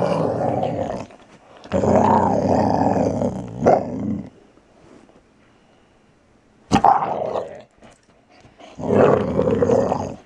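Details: Archie, a Valley Bulldog just over three years old, growls as he plays gently, grabbing and snarling: long harsh rumbling growls lasting two to three seconds, a quiet gap, then further snarly bursts.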